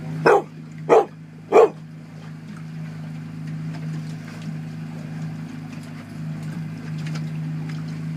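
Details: Dharma, a dog at the 2013 Port Alberni salmon derby, barks at a sea lion to make it back off her Coho salmon: three loud, sharp barks in quick succession in the first two seconds, then a steady low engine drone continues.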